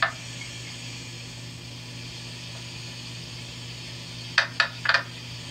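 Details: Northern Ontario mink frog, a late July to early August caller, giving a quick run of four hard, hammer-like knocks near the end after a long quiet stretch, with a constant low hum beneath.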